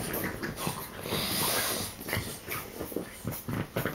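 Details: Three French bulldogs play-fight and bite one another, giving harsh wheezing snorts and heavy breaths in uneven bursts. The sound swells to a longer noisy stretch midway, then breaks into short puffs.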